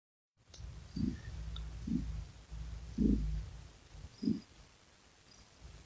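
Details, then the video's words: Domestic cat purring: a low, steady rumble with soft swelling pulses about once a second, each breath adding a brief deeper throb, in a quiet room with no other sounds. "Cat Purring Sound"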